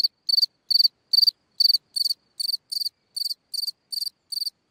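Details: Quieter night chirping from a cricket in a hole in the ground, with pulsed high chirps repeated about twice a second, the opening chirps louder and the later ones softer.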